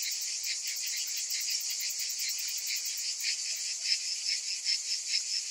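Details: Many cicadas calling together in summer: a dense, continuous high shrill buzz pulsing rapidly and steadily, with slightly louder surges toward the end and no other sounds.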